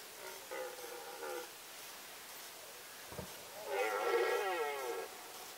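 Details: Red deer stag roars in the 2018 rut, Sandomierz Forest: a shorter harmonic roar, a soft knock, then a louder, longer, wavering roar rich in overtones.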